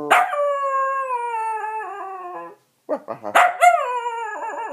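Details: Singing Dachshund gives a long, slowly falling howl, pauses briefly, then breaks into short yips and a higher, wavering wail.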